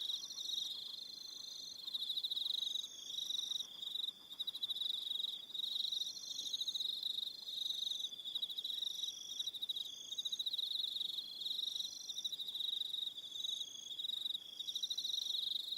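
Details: On Aroha Island, New Zealand, evening crickets produce an unbroken shrill trilling, rapid pulses holding one pitch while higher, thinner trills come and go in short runs.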